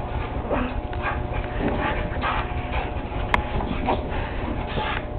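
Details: A Siberian Husky playing on couches gives short, rough yips and whimpering grumbles over a dense, muffled background.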